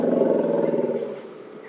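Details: Wild female elephant on an afternoon safari drive, 30 January, gives a loud rumble while talking to other elephants: a low, buzzy droning tone rich in overtones that fades steadily over under two seconds.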